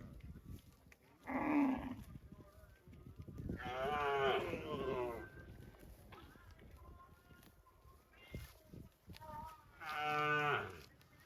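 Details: Cow mooing: three separate moos spaced several seconds apart, each a strong harmonic call, the last one clear and steady, over faint low background noise.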